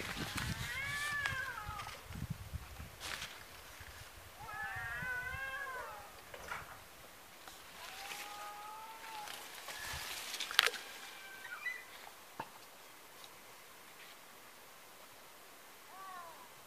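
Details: Domestic cats fighting, a neighbour's cat having run into a second rival after being chased off: wavering, harmonic-rich yowls rising and falling in long drawn bouts, with sharp hissing bursts near the middle and quieter gaps between.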